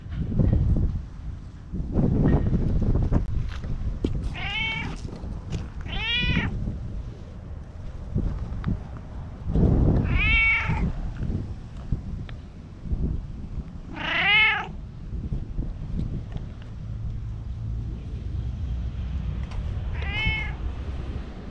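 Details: Tabby-and-white stray cat calling insistently from under shady trees, recorded on a GoPro HERO8. Five separate bright, arching meows spaced a few seconds apart, with bursts of low rumbling wind or handling noise between them.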